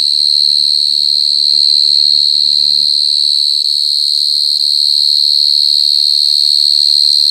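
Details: Very loud mole cricket (gangsir) trill, a continuous piercing high tone held evenly throughout, with soft low-pitched background sounds underneath.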